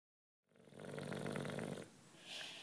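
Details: Juanito, a nine-year-old British bulldog, sleeping: one rough, rattling snore lasting just over a second, with pulsed buzzy texture, followed by a softer, hissy breath.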